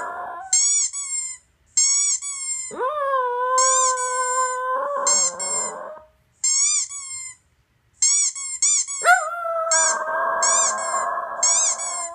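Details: Toy poodle kept as a pet, howling indoors at squeaky toy noises played from a laptop. Two sustained, wavering howls, the second rough and strained, stand out between rapid clusters of shrill, repeated squeaks.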